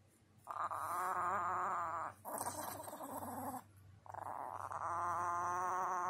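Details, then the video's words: Chihuahua named Chachi growling at bedtime while being coaxed to bed: three long, drawn-out, wavering grumbles with a whining tone, each lasting one to two seconds with brief pauses between. "Chihuahua becomes Devil-Dog at bedtime."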